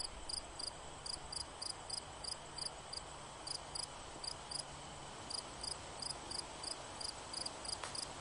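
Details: A cricket chirps rapidly, with short, crisp pulses in quick pairs and runs, over a faint steady high tone and low background noise.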